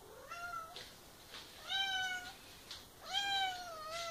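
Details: Indoors by her favourite sink, Ginger the house cat, adopted a few years ago and fascinated with that faucet, gives three drawn-out meows about a second apart, each bending down then level, with soft breathy sounds between.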